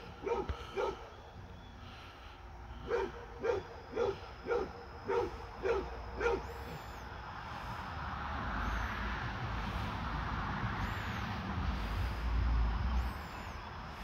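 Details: Fred the basset hound, visited by his deer friend, gives about nine deep, resonant barks spaced roughly half a second to a second apart, then falls silent while a low rumble and a broad hiss of background noise take over.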